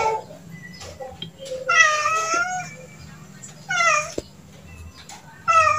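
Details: Several loud, rich meows from a cat: a long wavering cry, a shorter falling one a second later, then the start of another at the end, over low hum and faint clicks.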